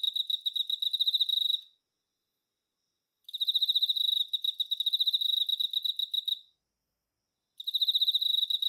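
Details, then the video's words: A male Emma field cricket (Teleogryllus emma) sings bright, pure chirps in rapid pulsed trills, broken by pauses; the call is likened to a rolling bell, and males sing through the night to attract females. "エンマコオロギ♂ 鳴き声 / Teleogryllus emma"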